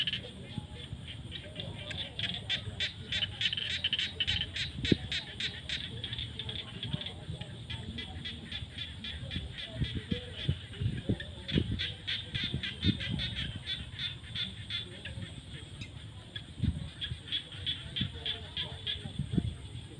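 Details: Frogs calling in the fields at sunset in the rainy season: rapid trains of sharp high pulses come in bursts over a low rumbling background, with scattered lower croaks among them.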